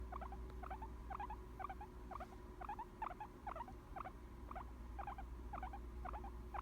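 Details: A chilled, content guinea pig making its happy sound: soft rhythmic squeaky pulses repeated about twice a second in steady pairs over a low constant hum.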